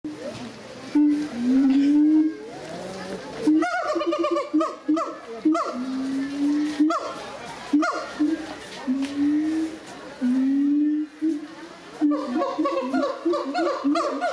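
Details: Gibbons at the Doué-la-Fontaine zoo, France, recorded in 2010, sing loud, rising whooping notes that build into quick, stacked series of hooting calls.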